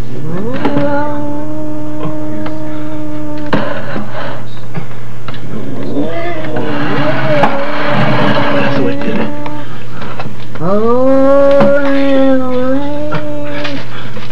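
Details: Pet dog Jake growling at Fred, a newly arrived cat, recorded 08/08/1995: long, drawn-out moaning tones, one held for about three seconds, another mid-clip, then a rising, wavering moan near the end, over a steady electrical hum with brief voices.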